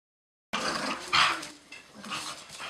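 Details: Dogs fighting hard: a sudden burst of harsh, noisy snarling and scuffling, with one loud strained yelp-like outburst in the middle, then rougher growly scuffles.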